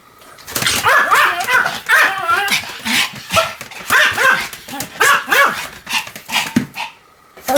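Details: Pomeranian Sam during a fast spinning session of roughly 175 turns, 1 November 2015; steady run of excited high barks and yips, roughly one each half second, with a short whimpering note near the end.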